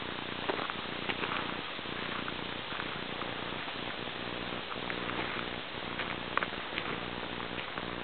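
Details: Porcupine giving a steady, low, purr-like hum with rhythmic breathy pulses about once a second, a dense rasping texture throughout and no other clear sounds.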